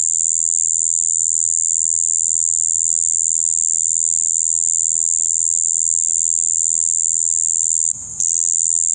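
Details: Monotonous buzzing "bii" of a Shibuiro kayakiri katydid, recorded 2 April 2023, continuing steadily until a brief dip and knock near the end, then resuming.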